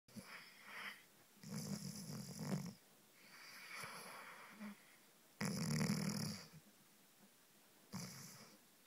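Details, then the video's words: A sleeping Rhodesian Ridgeback snores in loud, rasping bursts. Deep, rumbling inhalations last about a second each and are separated by quieter breathing, with the loudest snores near two and six seconds, in a small indoor room. "Zzznoring Ridgeback"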